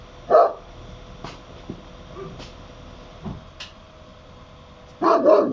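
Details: Barry, an Akbash dog recorded in Italy, barks once loudly, stays mostly silent apart from small knocks and clicks, then ends with a longer, rough double bark.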